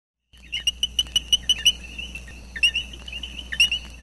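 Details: Red-eyed coqui (Eleutherodactylus antillensis, coquí churí) gives a quick run of high, clicking chirps, then a few more after a pause.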